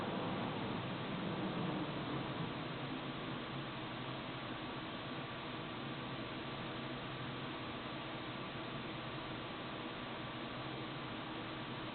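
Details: Steady hiss like a fan or white noise continues unbroken, with no animal sound.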